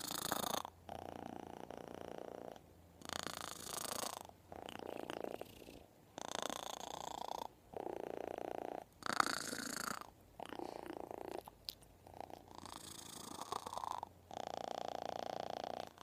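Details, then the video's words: A kitten purrs loudly close against its owner's ear. The coarse, rattling hum comes in about ten bursts, each roughly a second or more long, separated by brief silent gaps as the breathing switches direction. "Kitten purring loudly"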